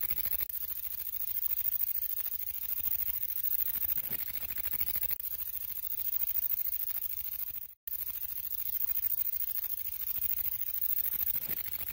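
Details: Steady hissing static with faint crackle and a brief total dropout near the eighth second, and no animal sound anywhere.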